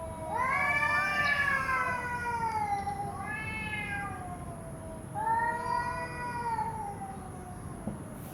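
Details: Cats fighting on a road: near-continuous harmonic yowling. One long moan slides slowly downward, then two more swelling wails follow, with a steady high-pitched whine underneath.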